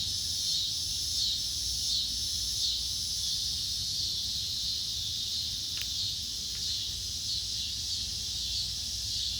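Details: A steady, high-pitched insect chorus at dusk hums and shimmers without pause, with faint low rumble beneath.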